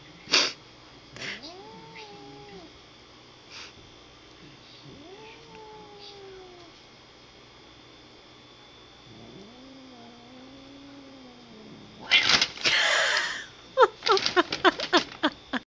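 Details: A pet cat named Badger, shut in a bag and irritated by Bagheera, a playful housemate cat she hates, lets out three long bending moans, then loud scuffling rustles of the bag follow near the end.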